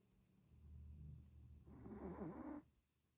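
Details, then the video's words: Pet Chihuahua asleep and snoring: a low rumbling breath in the first half, then a louder raspy snore of about one second with a wavering nasal tone, ending abruptly. "snoring 😴"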